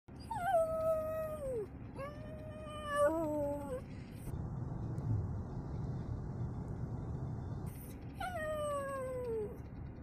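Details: Pomeranian howling at a storm: long wavering howls that slide downward, three in the first four seconds, then a rumbling pause, then another falling howl near the end.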